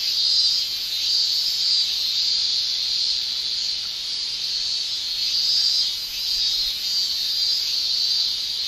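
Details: Summer cicadas in Japan, males singing with their tymbals, fill the air with a dense, steady high-pitched shrill that swells and dips slightly in loudness, with no other clear sounds.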